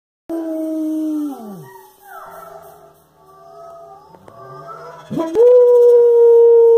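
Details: German Shepherd singing along to the opening of the song "Mr. Noah": a sustained mid-pitched howl that slides downward, then quiet wavering tones, with steady musical notes entering near the end.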